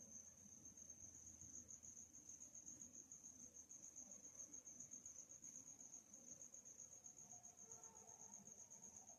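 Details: A calm nighttime ambience of crickets: one sustained piercing trill stays level and constant throughout, with soft low rumbling underneath and faint murmurs near the end.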